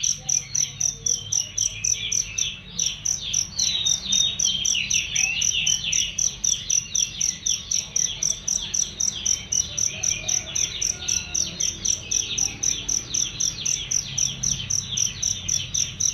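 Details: Cricket song used to tutor songbirds, shrill and clear: an unbroken series of evenly spaced high chirps near four a second, backed by constant twittering birds with rising and falling calls.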